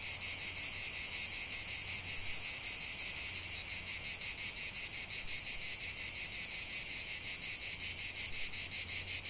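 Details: Cicadas chanting in nature, a bright metallic buzz sustained without pause and beating in quick even pulses, a soft low hum now and then underneath.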